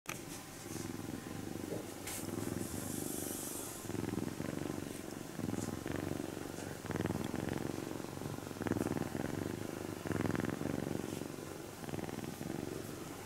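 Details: Napping kitten named Shiro-ko purring while being gently stroked so as not to wake her; steady low rumbling purr in long waves throughout, with soft rustling of handling and a brief faint hiss of noise near three seconds.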